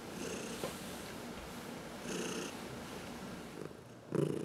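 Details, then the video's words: Domestic cat purring under a massage at home; a soft purr with two breathy surges, then a brief louder rustle near the end. "Four Purring Cats — Cat Massage"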